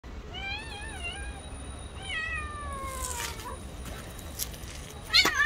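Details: Stray street cat defending its territory and attacking another cat: wavering, drawn-out yowls rich in harmonics, rising and falling, then a long descending wail, followed by scuffling noises and a sharp burst at the end.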